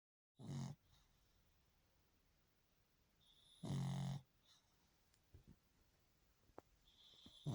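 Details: A sleeping pug snores softly: two low rumbling snore bursts about three seconds apart, with quiet breathing and faint clicks between them in a small indoor room.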